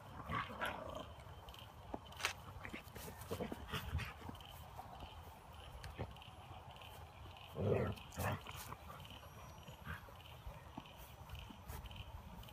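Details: Siberian Husky puppy playing aggressively with its big brother and mother; low scuffling and thumps throughout, with a short louder growl-like vocal burst near the middle and a second right after.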